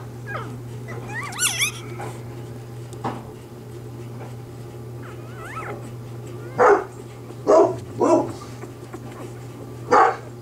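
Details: Newborn Bernese Mountain Dog puppies in their first days, filmed as the mother, Bear, delivers her litter: thin rising squeaks early on, then a series of short, sharp whimpering cries a second or two apart over a steady low hum.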